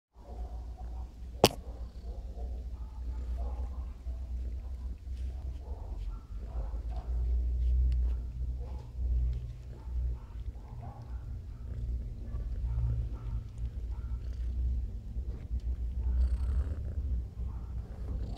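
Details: Ludmilla the cat purring: a steady, deep low rumble that swells and eases with each breath over eighteen seconds, with one sharp click early on and faint soft rustles above.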